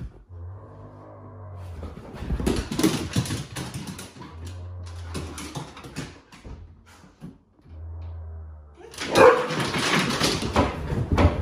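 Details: Huskies, among them young Lola now nearly full grown, react indoors to a scary movie costume prank: sharp barks come in rough bursts separated by quieter gaps, over a steady low musical hum.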